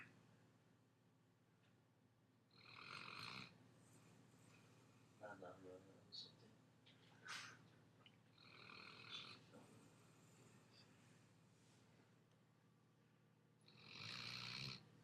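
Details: A Weimaraner snoring loudly on the couch in breathy, rasping bursts a few seconds apart.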